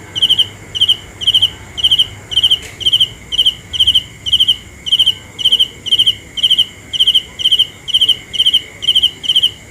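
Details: Cricket giving an unbroken run of shrill, high chirps, each a quick cluster of pulses, repeated about twice a second at an even pace over a soft constant background hum.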